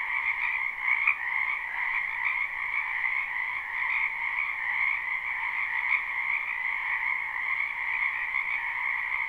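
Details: Dense spring chorus of frogs in a wetland, live recording without looping: ringing high trills stacked into two steady tones, small louder peaks near one, four and six seconds, otherwise uniform.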